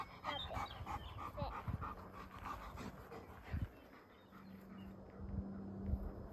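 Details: Rip, a two-year-old trained German Shepherd protection dog in Boise, plays fetch gently with a two-year-old girl and obeys her; rapid rhythmic breathy panting bursts in the first three seconds, then a steady low hum with occasional soft thumps.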